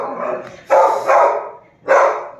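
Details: Heavy-boned Labrador Retriever puppies give three loud, rough yelping barks in short bursts, the last two about a second apart, with faint voices in the background.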